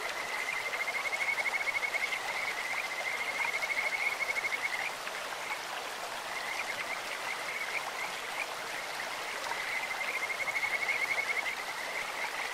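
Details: Kajika frogs along a clear stream repeat long, high trilling phrases of fast pulsed notes, a pause between runs, their beautiful bird-like voices over the steady rush of flowing water.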